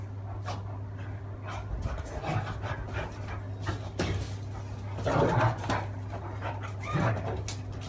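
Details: Great Dane and Beagle fighting: irregular, rough bursts of growling and sharp yelps, several close together near the end, over a constant low electrical hum.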